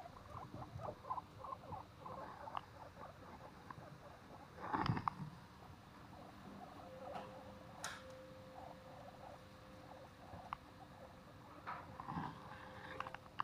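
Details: Guinea pigs at Okinawa Zoo & Museum, Okinawa City, Japan, recorded 30 April 2021, giving quick bursts of low squeaky chutters in uneven runs, with a louder rustling thump midway and a faint steady hum behind.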